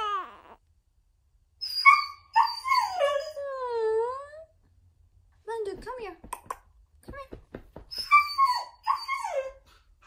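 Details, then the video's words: Siberian Husky home alone, loud drawn-out whining and talking howls with wavering, bending pitch, several long phrases separated by pauses, plus a burst of short yelps in the middle, indoors in a small room. "Home Alone (Husky Version) *SAD*"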